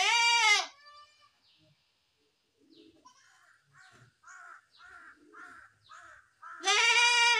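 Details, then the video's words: Goat giving a strong, harmonic-rich bleat at the start and another at the end. Between them comes a run of softer, short, regularly repeated chirping calls. "best goat sound in the world | goat sound"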